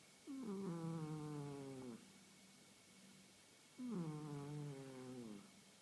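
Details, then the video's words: Sleeping female house cat, 1.5 years old, that has recently begun snoring daily; two long, tonal, slightly falling snores, each lasting nearly two seconds, separated by a quiet pause, in a quiet room. "Adorable Snoring Cat!"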